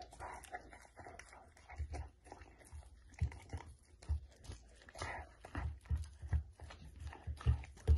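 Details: Samoyed dog indoors eating steamed chicken, recorded close up: irregular wet chomps and smacking bites, with low thuds and brief louder crunches scattered through, plus some faint mid-pitched background murmur.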